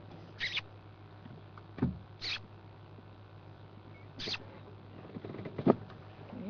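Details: Dwarf mongooses, a family of at least two, playing on a road after darting from the bush on a South African morning game drive (16 February 2011, around 8am), give short, high chirping calls at intervals over a low engine hum.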